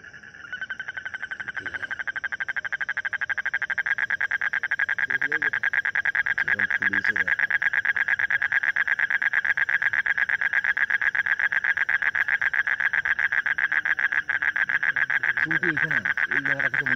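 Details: Frog calling in a steady, rapid pulsed trill that runs almost without a break from the first second to the end, with human voices talking briefly over it at times.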